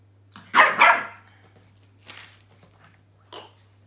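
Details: Indoor French Bulldog puppy named Roscoe, uncertain about a new toy, gives a double bark, two loud sharp bursts back to back, followed by faint softer sounds and a brief high yip.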